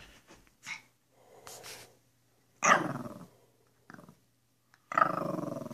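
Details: Two playful Pekapom dogs, small female Stella and male Moose, goofing around indoors; two harsh, growly barks with rough harmonics sound near the middle and end, separated by quiet gaps and a few faint soft noises.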